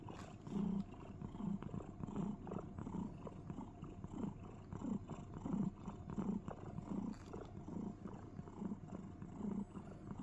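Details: A cat snuggled inside a box gives a cricket-like chirring purr, a steady series of low, throaty pulses at just over one per second, with light scratching and rustle in the background.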